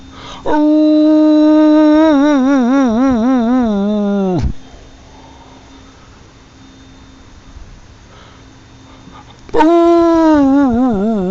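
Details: Dog howling in response to a tornado siren: a long, wavering howl that slides down, a pause, then a second howl rising in at the end. A faint steady siren tone runs underneath.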